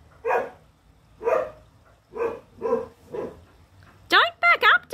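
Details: Hunting English Setter female barking ferociously as she confronts her foe; five rough barks in quick succession, then a burst of human speech at the end.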